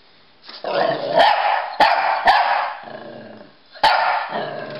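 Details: Play chase between a Pekingese and a Bulldog, with a low, rough growl running under four loud, abrupt barks spaced unevenly across a few seconds.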